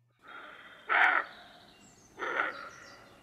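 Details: Roe deer (Capreolus capreolus) gives two hoarse, harsh territorial barks about a second apart, calling to rival deer over territory, recorded just before dusk in an area holding several roe deer.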